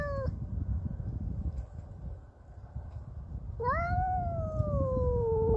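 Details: Cat angered by a neighbour's cat coming into its territory: a wail cut off at the start, a quieter stretch of low background rumble, then a rising yowl that slowly slides downward in pitch.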